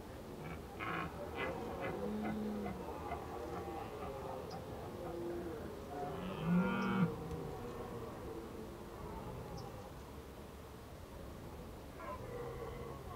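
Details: Red deer calling in autumn at Krasny Bor on 1 October 2015, during an Indian-summer spell: several low, harmonic, bellowing calls spaced several seconds apart, the loudest swelling mid-clip, over faint rustling and scattered clicks.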